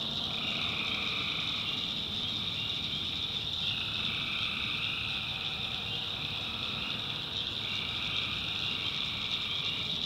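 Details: Tree frogs calling at night in a North Carolina backwoods swamp: a dense, continuous high trilling chorus, with a lower droning band of calls that fades in and out every few seconds.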